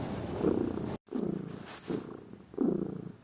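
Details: Pet cat purring, a lazy house cat heard as a low, rough rumble in a few uneven bursts, broken by a sudden short silence early on.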